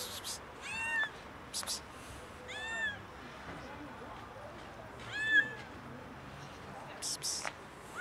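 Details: A hungry kitten shows up near a cat resting on a car, meowing in clear arched calls spaced a few seconds apart, with bursts of scraping noise between them.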